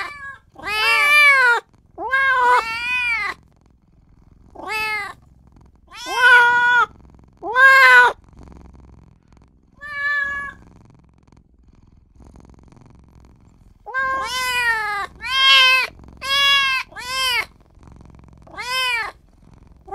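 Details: Newborn kitten wailing for its mother and owner in two bursts of rapid, high arching meows. A brief faint cry falls in the middle of a quiet spell of several seconds, then the rapid bursts resume.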